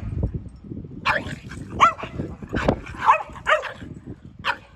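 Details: Mud-covered Boston Terrier Sully romps with Keeshond brother Kumo, letting out rapid, uneven yips and growl-barks over constant thumping and scuffling from the rough play.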